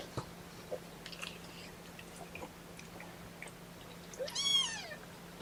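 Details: Kitten from a litter of four (three boys, one girl) protesting at being pottied before weighing, 2018-10-01, in a quiet small room: soft shuffling and handling noises, then one thin, high meow arching downward near the end.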